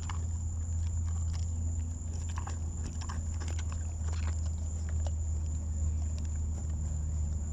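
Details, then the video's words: At Big Cat Rescue an elderly lion, 18 years old, chews a leg bone after being coaxed to eat; scattered crisp cracks and wet crunches rise above a heavy, steady low drone. "Lion VS Legbone"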